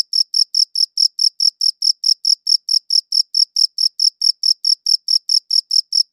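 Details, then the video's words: High-quality recording of crickets chirping, rapid regular shrill chirps running continuously at about two per second with a faint upper overtone, no other sounds present. "Cricket Chirping Sounds"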